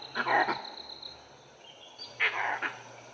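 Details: In an Indian forest, a langur gives two harsh, coughing alarm barks about two seconds apart, after a pack of dholes treed a leopard nearby.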